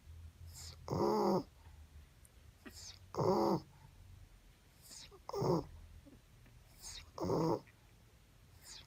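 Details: Boston Terrier named Ruby, a mother dog, asleep and snoring on 30 December 2017: four deep, throaty rasping snores, each about half a second long and spaced about two seconds apart, quiet breathing in between, a small room.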